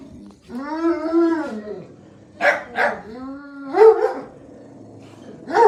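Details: Jack Russell Terrier filmed during a live stream: a drawn-out, wavering whine lasting over a second, then two sharp barks, a shorter second whine and another bark, with a dog called by name afterwards.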